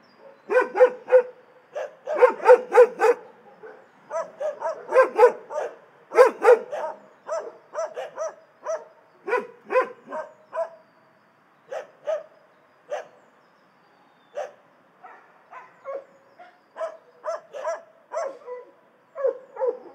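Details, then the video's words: Dogs in an animal shelter barking in quick, uneven volleys of sharp, mid-pitched barks, several per second in bursts with brief gaps, continuing throughout with no other sounds. "Szczekające psy w schronisku"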